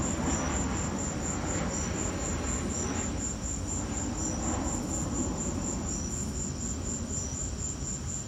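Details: Crickets chirping during a lightning storm, a steady high pulsed trill repeated several times a second over a loud low rumble of storm noise and wind.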